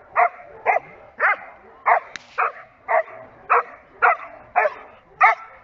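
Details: Giant Schnauzer barking in protection training, a steady series of about ten strong, harsh barks spaced about half a second apart, each short and loud against a quiet background.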